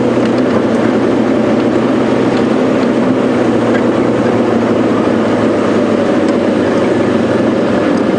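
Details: A steady vehicle engine drones throughout, with no animal calls heard.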